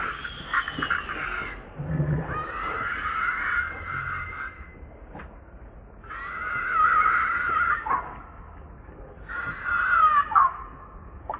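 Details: Baby monkey Leo, hungry and refused milk by its mother, gives four drawn-out wailing screams that waver and break in pitch, with quieter gaps and soft shuffling between them.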